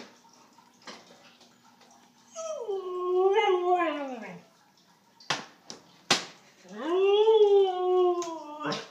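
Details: Ruby, a pet Siberian husky, talks while her dinner is being prepared: two long, wavering, harmonic howl-moans, the first rising then sliding down, the second arching and falling, separated by sharp clicks and snaps indoors.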